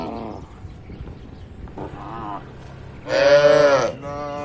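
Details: Grazing tame cattle in an open village field: soft, distant lowing at first, then one loud, strained moo close by, followed by a fainter answering moo.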